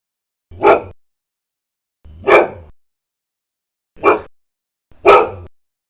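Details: Aggressive dog barking: four separate sharp barks spaced irregularly, about one to two seconds apart, each brief and punchy with little background noise.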